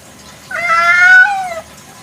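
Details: A village domestic cat calls at night. A single drawn-out meow rises slightly, holds with rich harmonics, then sinks at the close before quiet returns.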